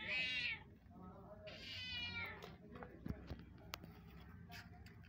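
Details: A mother cat calling her newborn kittens gives two clear meows, the first short and bright, the second longer and falling away, followed by soft rustling and a few sharp clicks.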